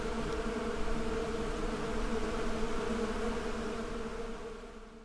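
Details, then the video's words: A thick, steady hum of buzzing bees with deep layered tones, slightly wavering in loudness before fading away in the last second. "Bee Symphony"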